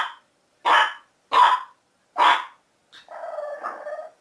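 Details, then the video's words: Three loud, evenly spaced puppy barks, then a drawn-out wavering whine or grumble. "Cute Puppies Barking"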